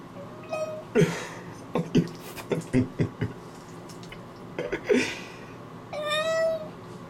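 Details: Domestic cat named McLovin meowing from underwater while being bathed in a bathtub, which he dislikes; two drawn-out tonal meows, a short one near the start and a longer one at the end, separated by a person talking and sharp knocking sounds.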